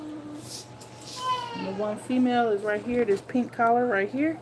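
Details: Two-week-old puppies nursing produce a busy run of high, wavering whines and squeals, several overlapping, pitch sliding up and down through each cry, fairly loud and continuous indoors.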